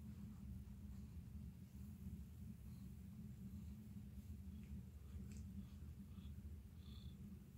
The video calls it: ASMR CAT PURRING